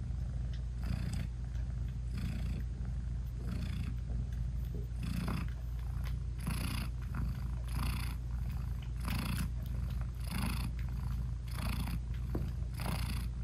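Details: British Shorthair mother cat purring as she nurses and loves on her tiny newborn kittens; deep, unbroken rumble with rhythmic breathy surges about every second, no added music.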